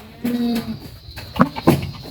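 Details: Young goat kids playing and butting heads in a goat pen; one steady, nasal bleat lasting about a third of a second, followed by short knocking and rustling sounds.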